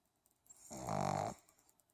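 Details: Jagr the pug, sound asleep, gives a single loud snore: a rough, throaty rumble swelling for about half a second with rapid fluttering pulses, then fading back into quiet breathing.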